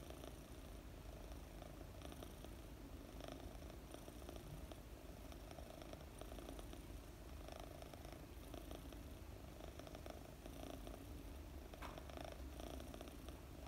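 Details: Mooni, a 4-month-old female British Longhair kitten, purrs steadily while being petted and sleeping; a continuous low rumbling throb with no breaks, soft and close, no other sounds.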